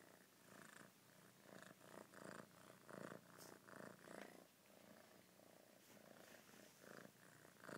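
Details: A cat's quiet purr comes in rhythmic rumbling bursts about twice a second, each swell rising and falling with the breath, the pulses strongest in the middle and easing slightly toward the end.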